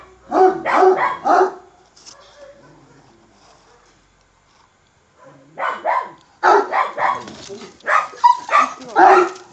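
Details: Angry, bad-tempered Kangal barking in rapid, harsh clusters. Three quick barks open the clip, then a quiet gap, then a dense run of loud, rough barks. A faint voice can be heard.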